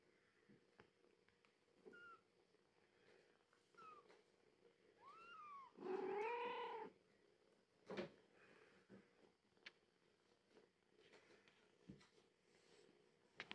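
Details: A 15-day-old British Shorthair kitten from a litter of five gives several thin, high mews, then one louder, wavering cry.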